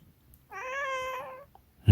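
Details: Munchkin cat indoors giving a single clear, steady meow of about one second, even in pitch with a slight rise at the end, in a quiet room.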